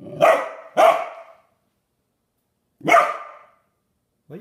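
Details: Matis, a standard poodle puppy, barking indoors at his water dish as if scolding it: two quick sharp barks, a pause, then a third bark and the start of another.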